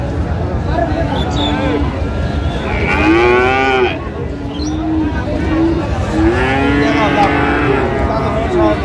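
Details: Friesian or crossbred bull calves at the Raniganj cattle market in Dinajpur on 14 August 2025, offered for sale. Drawn-out, harmonic moos rise and fall around three seconds and again near seven, over a constant murmur of voices and market bustle.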